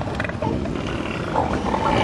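An elephant seal gives a deep, rough, rattling roar, a steady stream of guttural pulses lasting about two seconds.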